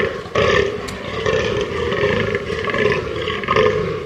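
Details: A fallow deer (Dama dama) gives deep, belching, croaky calls in a steady run, roughly one each second.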